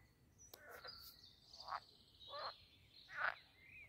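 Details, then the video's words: Frogs at a pond in the grounds of Castle Aerwinkel, Posterholt, Netherlands: three harsh, rasping croaks about every two-thirds of a second, with a thin high whistle and faint bird chirps over a quiet background. "Talking Frogs and other jungle sounds at the Pond"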